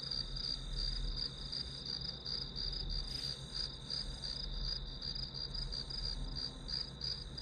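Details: Steady chirping of grass insects: rapid high pulses, close to three each second, riding on a constant shrill tone, with a soft low hum in the background.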